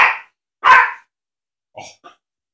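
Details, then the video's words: Indoor teacup Yorkshire Terrier, male, barking at a cat playing on a laptop: two loud, high-pitched yaps about half a second apart, followed by faint clicks. "barking at a cat on the laptop"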